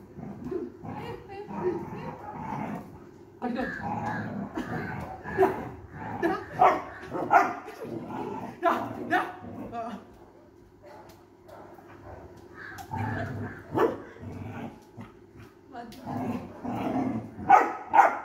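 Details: A Labrador Retriever puppy, reacting fearfully to a stray dog puppy on the street, gives sharp, irregular barks and yelps between bursts of human voices.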